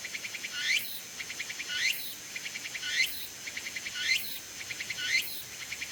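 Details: Cicada called tsukutsuku-bōshi singing from a persimmon tree, late summer into early autumn; shrill pulsing song with a swelling upward-sliding buzz about once every 1.1 seconds, interleaved with quick ticking pulses, no other clear sounds.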